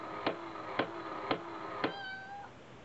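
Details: A brother-and-sister cat pair from Osaka, Nana and Hachi, play hard with a cat coin bank. A steady, tonal meow-like note is broken by four evenly spaced sharp clicks, then ends in a short falling glide.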